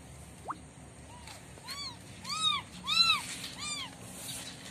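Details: Mother cat and kittens in daytime: bright, arched mews come in quick succession, swelling louder toward the middle, each a clear rising-falling tone with strong overtones, against a soft low rumble.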